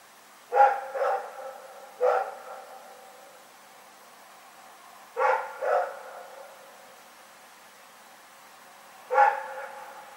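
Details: Dog named Rex barking at night, recorded on 27 February 2018 in Pyrga: six sharp, mid-pitched barks, mostly in close pairs, spaced by pauses of a few seconds, against a quiet background.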